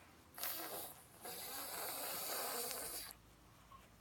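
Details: Pug giving a funny noise: a short raspy snort lasting about half a second, a brief pause, then a longer harsh snore-like wheeze of nearly two seconds, fading into quiet room hush.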